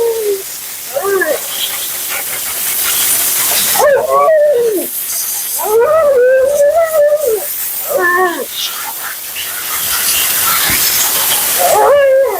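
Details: Mila, a talkative female Siberian Husky on her second-ever groom, complains during her bath and blowout. She gives drawn-out, wavering moans and yowls that rise and fall in several separate bursts over a steady hiss of water or dryer.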